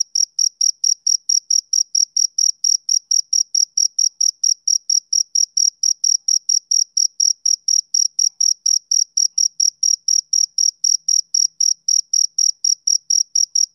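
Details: Relentless male cricket chirping for a summer evening, dozens of short, tinny, high chirps in a fast unbroken rhythm, about four each second, alone against a quiet background.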